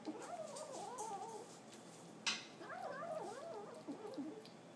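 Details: Pet kitten growling while eating indoors: a wavering, warbling moan that rises and falls, with short pauses, plus one sharp click near the middle and a small knock near the end.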